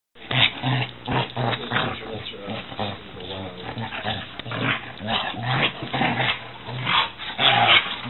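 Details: Two dogs, a 6-month-old Weimaraner and a 6-year-old Catahoula, play roughly indoors, giving a rapid string of growls, snarls and short grunting barks with scuffling, and a person speaking at times.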